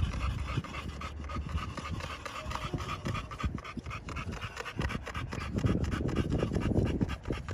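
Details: Panting of American Bully pocket dogs in Romania: quick irregular rasping breaths, nearly three per second, growing louder toward the end, with some rubbing noises and low hum.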